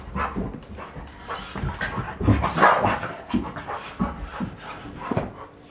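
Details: An English Cream Golden Retriever and a Poodle chase a small electric remote-control monster truck around a living room; quick rhythmic dog panting, roughly three breaths a second, with scuffling and bursts of noise.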